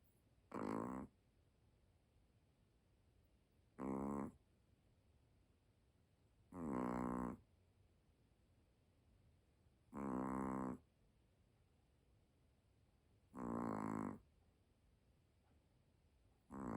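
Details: A cute dog asleep, snoring steadily: rough, buzzy snores about half a second to a second long, repeating every three seconds or so, in a quiet indoor room.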